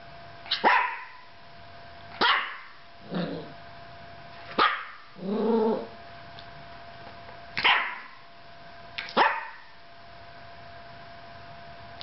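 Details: Yorkshire Terrier left alone with a camera indoors, barking in sharp single yaps roughly every one to two seconds, mixed with a few lower growly grumbles, over a steady faint room hum.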